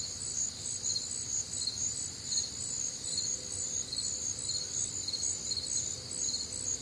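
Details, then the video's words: Warm, humid summer night in the Midwest filled with crickets: overlapping high, ringing chirps beating roughly twice each second, constant and dense, with gentle low background noise. "Night Time Cricket Sounds"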